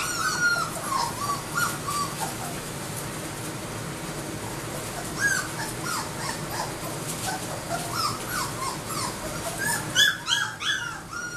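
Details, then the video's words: Labrador Retriever puppies, AKC registered, giving many high thin whimpers and squeaky cries from several pups at once, some rising then falling, overlapping continuously with a steady low background hum. "AKC Labrador Puppies"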